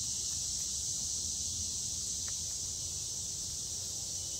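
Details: Cicadas in summer, a steady high buzzing drone with no breaks, sitting high in pitch and holding even loudness for the whole stretch, over a faint low rumble.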